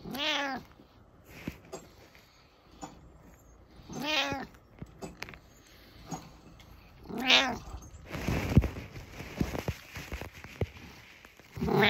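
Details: A domestic cat meows at someone indoors, giving three drawn-out, wavering meows roughly every three to four seconds. Between and after the calls come shuffling and handling noises.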